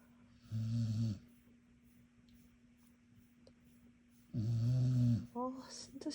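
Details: Dog asleep and snoring: two coarse, low breaths roughly four seconds apart, each under a second long, against a soft steady hum, followed by brief higher sounds at the end.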